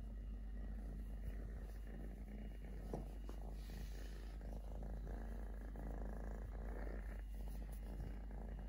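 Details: Totoshka, a three-legged male stray kitten whose mother bit off his leg at birth, purrs in a steady low rumble with fast even pulses throughout, plus a few soft clicks and faint rustling close by.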